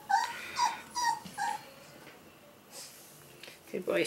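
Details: Male Pomsky puppies, five weeks old, from Winter and Dash's litter, indoors: four short high whimpering yips roughly every half second, then a lull and a final squeaky whine, with a person's voice nearby.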